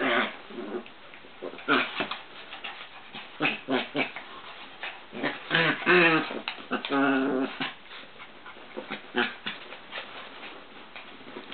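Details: Chihuahuas Joey and Papi wrestling together inside a work room, giving repeated throaty growls and drawn-out whining snarls in uneven bursts, with a sustained tonal growl midway, over scrabbling and thumping sounds.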